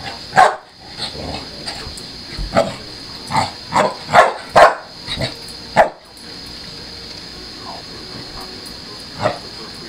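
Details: Chelsea, a pit bull, play-fighting a Maine Coon cat without harm; a burst of quick barks, around eight in four seconds, then a quieter lull with one final bark, steady background hum throughout.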